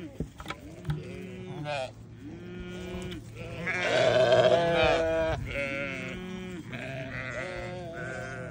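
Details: Newborn baby sheep bleat in a busy run of wavering, nasal cries, with a louder, longer bleat rising mid-way and shorter calls around it.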